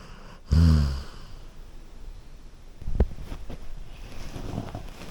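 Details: Golden Retriever asleep on a couch, giving one deep, rumbling snore lasting about half a second, followed by quiet breathing and faint room noise.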